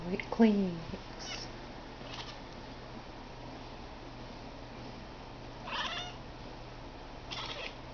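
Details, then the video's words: A pet cat named Blue Boy gives a strange sound: one strong falling meow-like call at the start, then long quiet with low hum, and two brief buzzy chirps later on. "Blue Boy making that weird sound."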